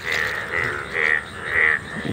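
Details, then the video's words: Loud Indian bullfrogs (sona bang) crowding a field, a frog seen only once a year. Strong, nasal, harmonic croaks repeat about every half second in a regular rhythm. "মাঠে সোনা ব্যাঙের ডাকাডাকি"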